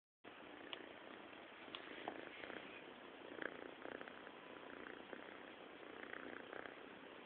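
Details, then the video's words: Sleeping cat snoring: a steady, raspy rumble with soft pulsing texture that continues throughout, with a few slightly louder breaths along the way. "snoring cat"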